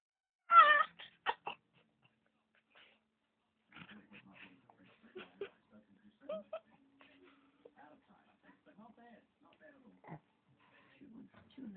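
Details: A female Tibetan Spaniel gives a loud, strained, meow-like cry resembling a cat noise, followed by soft people's voices; owner says she no longer does it.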